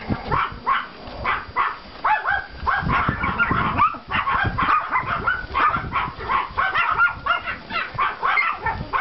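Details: Pomeranian puppies from two litters on a yard walk after snowfall on 5 April 2014, yapping in quick, overlapping high barks, several voices tumbling over one another almost without pause.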